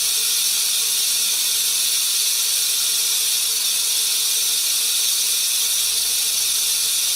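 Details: Venomous rattlesnake shaking its rattle as a warning when threatened, to warn off predators; a steady, dry, high-pitched buzzing hiss runs unbroken for the whole stretch, with no other sounds.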